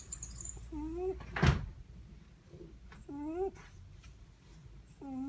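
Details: Netherland Dwarf rabbit snoring while asleep: short rising, whistly squeaks come with each breath, three of them over five seconds. One sharp knock sounds early on against a quiet indoor background.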